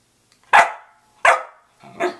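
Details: Two abrupt, forceful barks from a Samoyed at 6:00 a.m., spaced under a second apart, followed by a softer, shorter third bark; nothing else audible in the quiet room.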